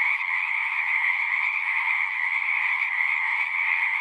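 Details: Frog chorus with countless overlapping callers blending into one continuous, buzzy, shimmering drone that stays level for the whole stretch, with no pauses and a near-silent low end.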